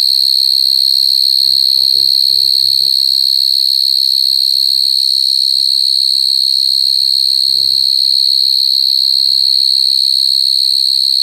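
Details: Shrill, sustained high ringing from crying coconut crickets, constant throughout, with brief soft human speech early on and again later.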